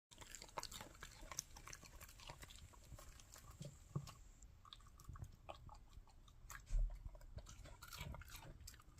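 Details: Puppy crunching on a carrot indoors: dense, irregular wet crunches and bites close to the microphone, with one louder snap near the end.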